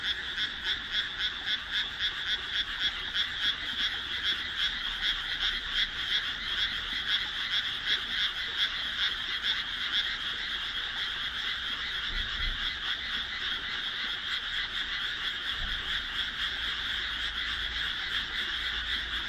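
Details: Loud chorus of frogs in a rice field set among homes, just planted on 1 June 2012, heard as night falls; rhythmic pulsed croaking repeated rapidly, many callers overlapping into a throbbing wall of sound.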